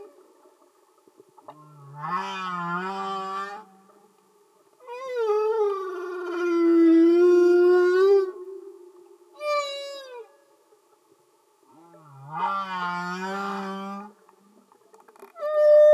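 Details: Singing humpback whales underwater: repeating phrase of low buzzy rising groans alternating with long wavering tonal moans and a short higher falling cry, units several seconds long with brief silences between.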